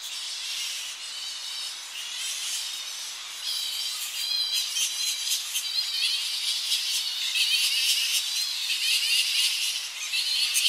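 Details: Colony of Tonga flying foxes returning to roosting trees on the coast in early morning, recorded close up: dense, continuous chorus of shrill, high squeals and chattering screeches overlapping throughout, growing louder toward the end.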